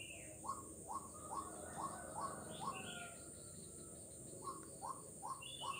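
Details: Frog calling on Jalan Kolonel Sugiono in Kuala Kapuas, Central Kalimantan, Indonesia, on 4 November 2021: short upward-sliding tonal notes repeated two to three per second in bursts, over a steady high insect drone.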